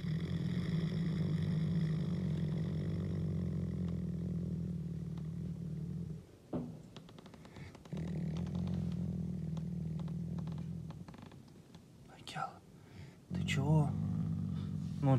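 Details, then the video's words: A Canadian wolf named Akela growls while showing dominance on 16 April, his birthday. Long bouts of low, grinding rumble are broken by brief pauses, with a few short sharper sounds near the end. "canadian wolf roar. Рык канадского волка Акелы."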